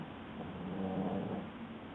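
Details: Boston Terrier named Madara snoring while asleep: one drawn-out, low nasal snore that swells and then fades over about a second, with a faint humming tone, over a steady background hiss.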